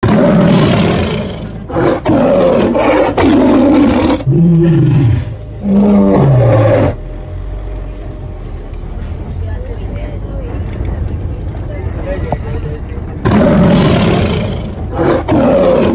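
A Bengal tiger gives deep, moaning roars that slide downward in pitch, with people talking around it.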